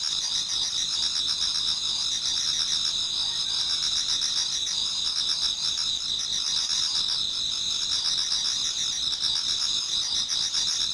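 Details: Numerous insects in a Japanese garden on an autumn night nearing dawn keep up a bright, even high trilling wall of sound, with lower beating pulses woven through it.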